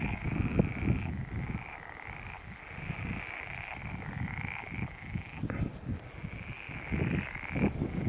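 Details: Pond chorus of frogs at Stagno di Pilo, with a steady high trill that stops and restarts every couple of seconds over many overlapping deep, rapid croaks.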